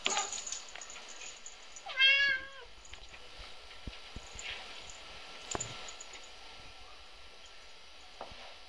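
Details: Three-year-old red point Siamese cat named Binx, indoors and bored: one short harmonic meow near two seconds, arching up then falling, followed by faint clicks and low room hiss.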